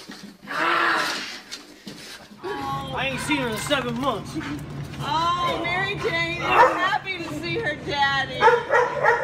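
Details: Dog overexcited and hard to control while meeting its owner, who is returning home from abroad. Several bursts of high, wavering whines and yelps overlap excited human voices, with soft music underneath.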